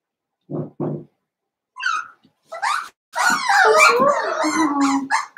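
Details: Indoor pen of five blenheim Cavalier King Charles Spaniel puppies, seven weeks old: two dull thumps, then rising yips that build into a continuous tangle of squealing barks, whines and growly play noises.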